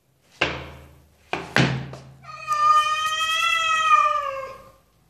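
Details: Domestic cat with a single long, clear meow, steady in pitch with rich harmonics and slightly falling at the end, preceded by three sharp knocks or thuds; otherwise quiet surroundings.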